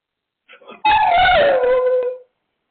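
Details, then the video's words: Siberian Husky 'talking': a drawn-out, howl-like vocal of about one and a half seconds that holds steady, then slides lower and fades, preceded by a few faint short whines. "dog funny sound"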